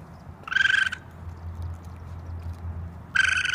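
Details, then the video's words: Raccoon calling: two short, rapidly pulsed, buzzy trills with a steady pitch, each lasting about half a second and spaced roughly two and a half seconds apart, over a low steady hum. "Raccoon sounds, raccoon noises"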